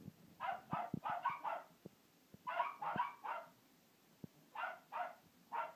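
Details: Pair of domestic dogs barking at a hippo, giving rapid runs of four or five quick barks, then a pause, another tight run and three evenly spaced barks at the end, with soft thumps and clicks in the background.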